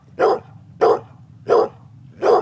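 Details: Annie, a pet dog, barking while playing fetch on May 28, 2012: four sharp, evenly spaced barks, about two every second and a half, over a low background hum.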